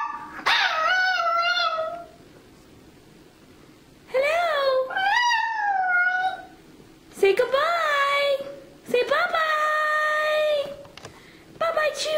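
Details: Chuy the Chihuahua, Irresistiblepets.net mascot, sings in bursts: a loud opening howl, a pair of wavering notes, then longer sustained tones, separated by pauses, with a brief yelp at the end.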